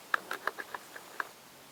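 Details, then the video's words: Snoring hazel dormouse found in a nest tube during a check for the Bundesforste citizen science project "Blick ins Dickicht" in the Wienerwald; short squeaky pulses come in a quick, even series, then a pause and one final pulse. "Schnarchende Haselmaus"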